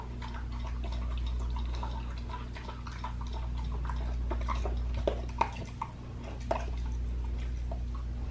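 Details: Pit bull dog, raw fed, eating a raw leg of lamb indoors; irregular wet clicks and crunches come several times a second over a steady low hum, with a few sharper snaps near the end.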